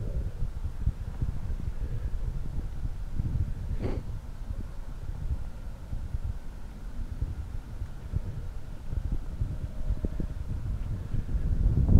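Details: Low, constant rumble like wind or a running fan fills the recording, with a brief faint tone near the four-second mark and no animal calls.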